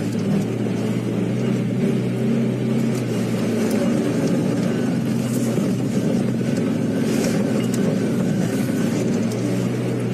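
A steady low engine rumble of a vehicle driving, with no animal calls heard.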